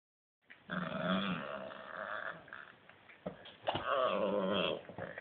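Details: Italian greyhound growling while playing indoors: a low, rough, sustained growl that rises and falls in long rumbling stretches, with a brief pause before a second louder burst of growling.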